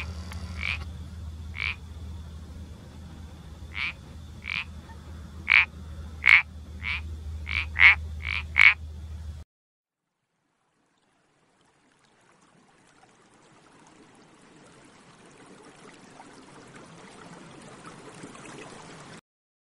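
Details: Iberian parsley frog uttering sharp, short clicking croaks, about ten spaced notes over nine seconds over a low steady hum, then silence and a faint hiss.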